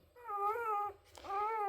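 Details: Central Asian Shepherd (alabai) puppies in Michigan, indoors. Two drawn-out tonal whines, each slightly wavering and rich in overtones, separated by a short pause.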